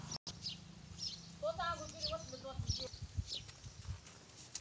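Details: Goat, a mother with four kids, gives a single wavering, stepped bleat lasting over a second midway through, amid rustling, low handling thumps and faint clicks.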